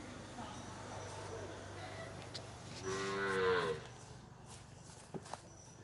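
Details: A Punganur bull recorded at P Gannavaram lets out a one-second moo, slightly falling in pitch and rich in harmonics, midway through quiet ambient hum with a few soft clicks afterward.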